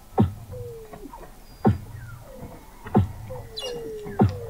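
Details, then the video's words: Weddell seals under sea ice at McMurdo Sound, Antarctica, recorded November 2017 from a seafloor observatory 21 m deep: loud sharp descending chirps repeated about every 1.3 seconds, four in all, between gently falling tonal whistles. "Song of the Antarctic Weddell Seal"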